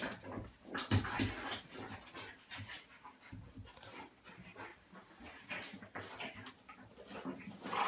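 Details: A 35 lb male French Bulldog pants and snorts in quick, ragged bursts during rough play, overpowered by a 25 lb female dog companion.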